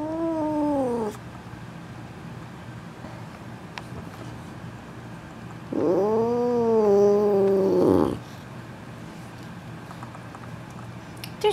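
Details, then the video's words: Missy, an F2 Asian Leopard Cat hybrid pet, sitting on top of the refrigerator, gives two long, loud, drawn-out meows, a short one then a longer wavering one, with quiet room tone between. "Missy has a lot to say!"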